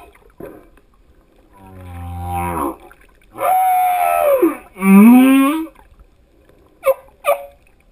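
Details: Male humpback whale singing: a low, moaning harmonic unit, then a louder falling cry and a rising upsweep whoop, ending with two short sharp pulses after a pause.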